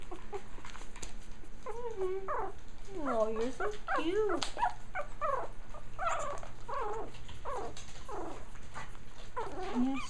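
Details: Japanese Chin puppies from one litter on their first time exploring the ground, giving a busy stream of overlapping high arched whimpers and squeaky yips, several per second, over a steady low hum.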